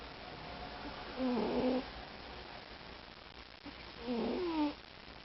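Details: A male domestic cat that snores, purrs and breathes loudly, snoring while at rest: two drawn-out, tonal, buzzy snore sounds about three seconds apart, separated by quiet room background.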